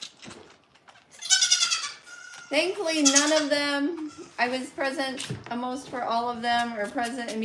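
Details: Goat at The Willful Goat Farm & Home: two loud, bright, wavering bleats with a strong nasal tone, one early and one mid-way, broken up by a person talking indoors.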